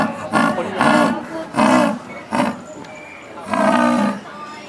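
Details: {'text': 'Old female jaguar at a Japanese zoo, Higashiyama Zoo, uttering four or five raspy, breathy grunts, separated by short pauses, the last drawn out and slightly wavering.'}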